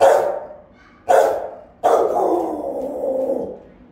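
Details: Three Rottweilers keeping watch over a home, recorded by a camera; the mother's barks are round, resonant and forceful, with another dog adding a few. Three heavy barks, the last drawn out into a long, falling, rough tail.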